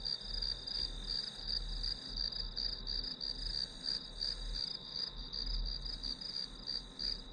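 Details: Grass insects chirping steadily as background for studying: high, pulsed chirps repeated about three times a second over a continuous high ringing tone, with a low rumble underneath.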